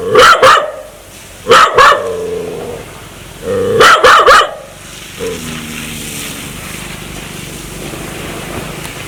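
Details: Aggressive dog wanting to bite people: sharp doubled barks at about one and a half second spacing, each trailing into a low, droning growl. The later seconds hold a quieter steady rumble.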